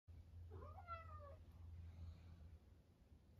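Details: A 13-year-old male house cat, a cancer survivor, brings his toy sea monster indoors and gives one short meow that rises and then falls. A steady low hum continues underneath, and the room is otherwise quiet.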